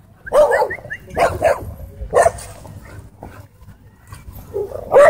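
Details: Pit Bull puppies at a dog park, holding their own among larger dogs; loud, harmonic barks and yelps come in short bursts roughly once a second, with quieter gaps and faint background noise between them.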